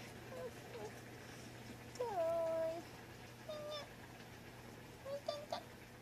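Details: Clingy, affectionate Munchkin cat on 4 January 2020: a brief meow, then a longer, clear, level meow lasting almost a second, followed by two shorter rising mews, with a constant low hum in the background.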